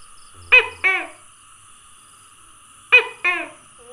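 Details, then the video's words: Tokay gecko calling, dated 27 May 2020: two loud two-note croaks about two and a half seconds apart. Each is a sharp first note followed by a slightly lower, falling second note, with quiet steady hiss between. "Tokay Gecko Calling"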